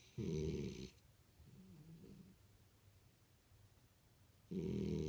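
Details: French Bulldog Imohei asleep, giving two strong harsh snores at the start and end with a soft wavering low snuffle between, the rest near silent indoors.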